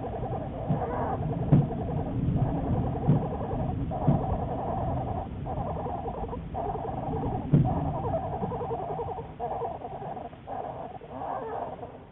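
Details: Black bear Juliet, part of long-term research at the Wildlife Research Institute, on March 1, 2014. A throbbing, motor-like hum runs in repeated bouts with brief gaps, joined by a few sharp clicks and low rumble.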